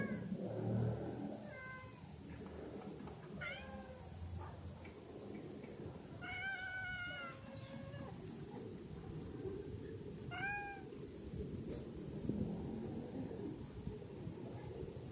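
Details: Domestic cat gives a string of irregular meows, some brief and rising, others longer and bending downward, with gaps between bursts over constant low background noise.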